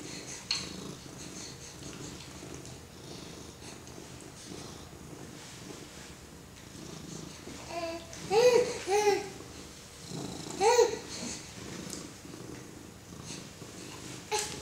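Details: A pet cat's low purr hums quietly under a four-month-old baby's petting, indoors; midway the baby lets out a few short vocal squeals and babbles over the rumble, then the purring continues.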